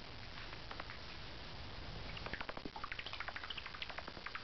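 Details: Hidden in carport rafters at night, an unseen angry bat starts with a few faint squeaks, then breaks into a quick, busy run of sharp chirps and clicks over a constant low hum.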